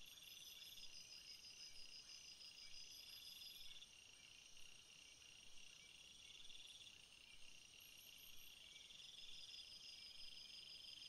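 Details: Crickets calling at night in a dense, unbroken high-pitched drone, several trilling voices stacked at different pitches, with faint ticking pulses and short higher chirps now and then over low hiss.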